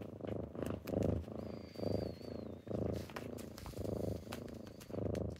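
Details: Kittens purring on a typical morning as they wake their owner, a steady low rumbling purr in pulses about once a second, with faint clicks and a brief thin whistle-like tone above.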